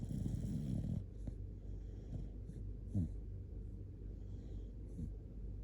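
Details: Shiba Inu Kotetsu snoring while sleeping cuddled up; a harsh rattling snore opens, then softer snorts and short rasping breaths around three and five seconds over a low droning background.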